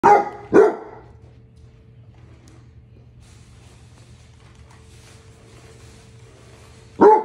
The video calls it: Basset hound ￼ Barking